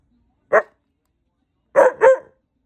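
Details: Told it is bedtime, a white husky answers back with one short, throaty vocal burst, then after a pause a paired rush of two quick, harmonic yowling syllables.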